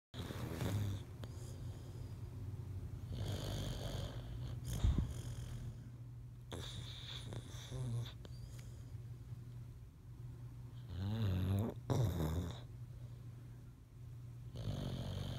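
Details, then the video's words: Boxer dog asleep and dreaming, snoring in a steady low rumbling rhythm with soft breathy snorts and occasional louder snuffles. "Boxer Song of Sleep"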